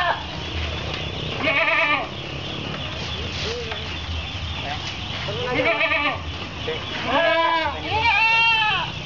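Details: Goats bleating while waiting for their feed ration at an Islamic boarding school in Anjir Palambang village, Pulau Petak, Kapuas, Central Kalimantan, Indonesia, on 10 February 2013; several wavering, arched bleats from more than one animal over steady background noise, with some speech.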